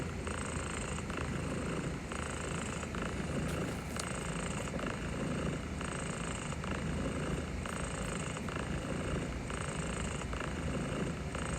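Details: Steady purring from a pet cat that is overwhelmed but accepts gentle strokes; a low, unbroken rumble blended into a broad, hiss-like noise bed that stays level throughout.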